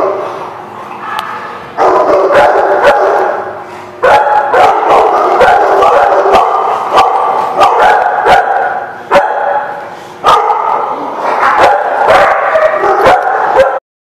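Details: Several dogs bark together almost continuously, sharp and overlapping, with short lulls near two, four and ten seconds before ending abruptly.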